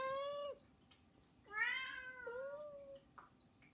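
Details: Begging meows from one of three house cats indoors. A flat meow is followed by a louder, higher, descending wail, then a rising drawn-out meow, with a faint knock near the end.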